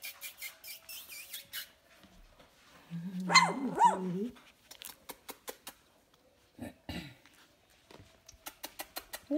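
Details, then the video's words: Sleepy Golden Mountain Doodle puppy, two and a half weeks old, just fed by its mother, lets out one loud, rising-and-falling grumbling whine lasting about a second, surrounded by a woman's cooing talk. "Golden Mountain Doodle babies"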